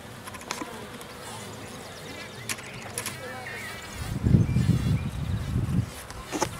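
A bee's low, droning buzz swells up close for a couple of seconds amid faint background noise.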